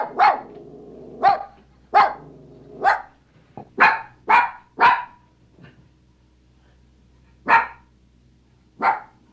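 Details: Maltese dog barking: sharp, high yaps, single or in quick pairs, about ten barks spread irregularly with short silent gaps, a faint low hum underneath.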